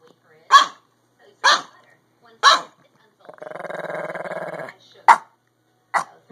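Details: Chihuahua-Pug mix dog barking from a window while watching across the street, March 22, 2015; five loud sharp barks about a second apart, broken by a short stretch of low growl-like rumbling.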